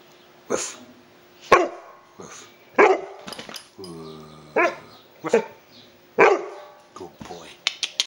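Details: An 11-month-old male Bullmastiff puppy play-barks with deep, loud barks at irregular intervals, while a person imitates barking between them.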